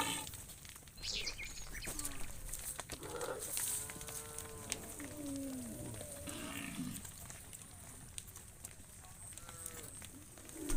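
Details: Livestock cows being driven by shepherds toward the farm pen give a drawn-out, harmonic low moo in the middle of the recording, with fainter calls later amid steady rural background noise and shuffling.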